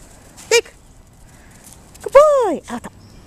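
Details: A dog named Apollo, practising bringing back a toy, gives a brief sharp yelp and then a whining bark that rises and falls, followed by two short clipped yelps, against a quiet background.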